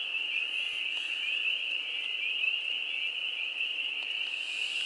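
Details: Perhaps a thousand or more frogs mating in a homestead farm pond on a spring day, April 25, 2022: a dense, continuous high-pitched trilling chorus, even and unbroken throughout, with faint soft rustles and no other clear sounds.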